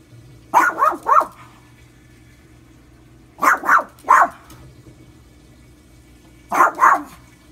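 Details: Pet dog barking at a running washing machine, something it does every day: three bursts of two or three rapid, rough barks spaced roughly three seconds apart, with a constant low mechanical hum beneath.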